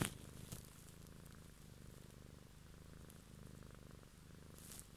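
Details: Cat purring close up, a steady low rumble with even pulsing that holds throughout, with faint soft clicks at the start and end.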